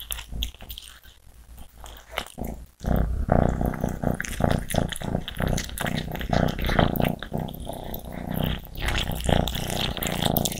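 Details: Greedy cats eating and growling: after a quieter opening with soft crunching, a loud, continuous low growl swells from about three seconds on, thick and rumbling, mixed with crunchy chewing noises.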